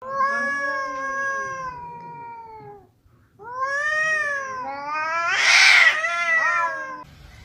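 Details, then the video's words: Two cats on roof tiles give long drawn-out wailing yowls with rich harmonics, sliding downward, then a second louder rising-and-falling wail that swells into a harsh, noisy climax before fading. "The sound of 2 cats on the roof tiles"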